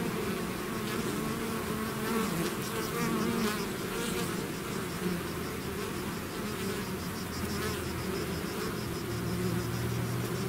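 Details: A bee swarm leaving its hive fills the air with a constant, layered buzzing drone; tones of passing bees glide up and down, and a lower steady hum appears toward the end.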